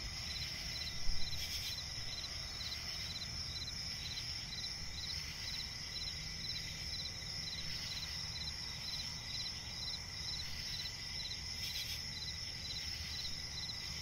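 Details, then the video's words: Crickets chirping at night in a swamp forest. Several steady, high, overlapping pulsed trills continue without a break over a low rumbling background hum, with a brief louder knock near the start. "cricket chirping relaxing sound in night forest"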